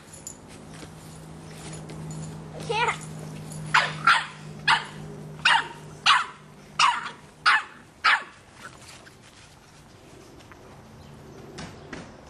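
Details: Young Boston Terrier puppy, 3½ months, barks at a soccer ball being kicked away; quiet opening, then about eight sharp yapping barks roughly every half second, trailing into quiet, with voices in the background.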